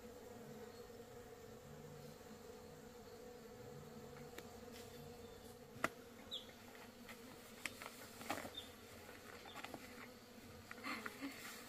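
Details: Forest honey bees being tamed and raised on a farm to produce honey: a constant swarm drone under sharp clicks and taps from handling, busier toward the end.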